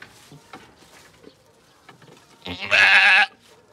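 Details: Goat during birth on a farm, giving a loud, strained bleat lasting about half a second near the end, preceded by faint rustling and low background sounds.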